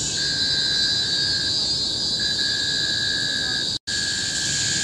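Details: Cicada chorus in the tropical forest of Bukit Timah Hill, Singapore, recorded in 2017: a constant deafening high-pitched drone with a thinner, lower tone that fades and returns, interrupted by one brief total cut near the end.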